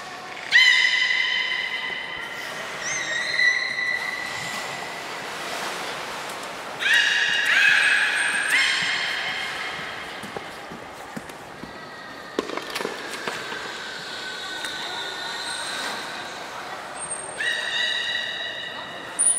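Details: Belugas Hodoi, Taanya and Mirai in a training session at Port of Nagoya Public Aquarium on 2 August 2019, male Mirai's seventh birthday. Drawn-out harmonic whistles hold steady pitches, broken by short squeaky bursts and upward sweeps, against splashing and a roomy background.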